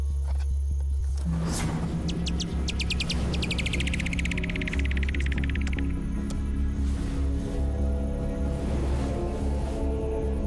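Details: Slowed-down recording of a bat's ultrasonic echolocation while it hunts moths at night, flying with its mouth open: a quickening series of clicky downward sweeps over a low musical drone.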